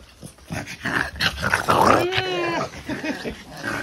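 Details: Ten-month-old French Bulldog diagnosed with brachycephalic airway syndrome, possibly with elongated soft palate and pharyngeal collapse, breathing harshly indoors: rasping, snorting breaths with a brief sliding whine-like tone in the middle.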